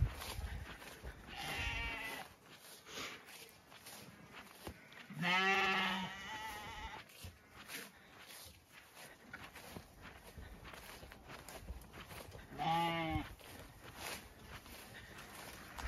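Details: Zwartbles ram lambs on a regenerative farm in County Kilkenny, Ireland, bleating after separation as they are given feed; three harmonic bleats near the start, middle and end, with faint background music and a woman's voice.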